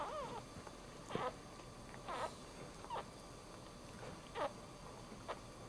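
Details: The first puppy of a Dachshund litter, a male, just born, gives thin, high squeaks about once a second over a quiet background hiss.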